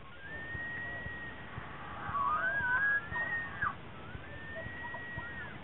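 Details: Bull elk during the annual rut in Rocky Mountain National Park, gathering cows in a mating ritual; thin, high whistled bugles rise and hold, one louder wavering call in the middle and fainter distant ones before and after.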